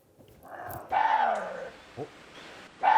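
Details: A water deer, an endangered species in Korea, gives harsh, hoarse barking screams, rough and dog-like, in separate bursts.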